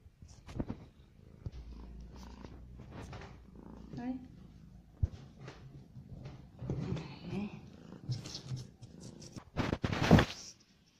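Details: Hungry domestic cat purring while eating, a low steady rumble running through the middle seconds, mixed with human speech, a few sharp clicks, and a loud rustling burst near the end.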